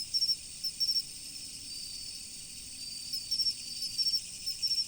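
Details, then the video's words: Chirping insects on an autumn riverbank, with bright pulsed chirps in quick clusters, a quiet gap in the middle, then renewed bursts, all over an unbroken high shrill drone. "秋の虫の音、川の流れ。The sound of insects in autumn, the flow of the river."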